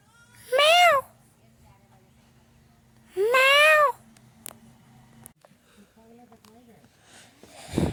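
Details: Domestic cat giving two short arched meows about two and a half seconds apart over a low steady indoor hum, with a few clicks and a faint, quieter call near the end.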